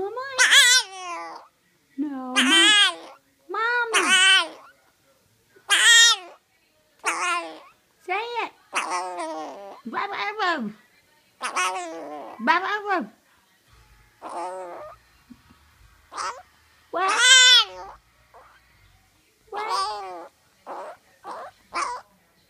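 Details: A tiny 1 lb 4 oz Boston Terrier puppy, sick with an upper respiratory illness, gives drawn-out, arching whines and yowls, sounding like "momma", between a person's coaxing voice.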